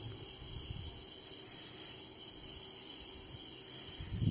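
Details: Crickets calling at night around a tree house in Betla Forest, Palamau Tiger Reserve, Jharkhand, India, as forest ambience: a steady, unbroken high-pitched buzz runs throughout over a low rumbling background.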